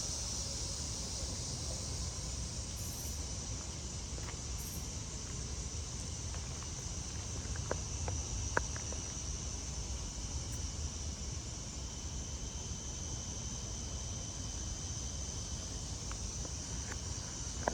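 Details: A chorus of cicadas (called locusts), high in trees, gives a steady, high, hissing drone at about 8 pm on an early-August Friday summer evening in Maryland under tropical weather, over low rumbling background noise.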